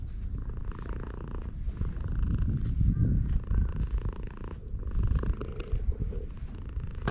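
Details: Stray cat sunbathing at a shrine and purring while being petted: a low, rumbling, rapidly pulsing purr that swells and fades across the clip, with faint rustling from handling.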